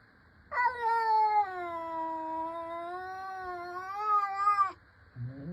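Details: Mother cat talking: a single long meow of about four seconds, steady and slightly wavering in pitch, then the rising start of another meow.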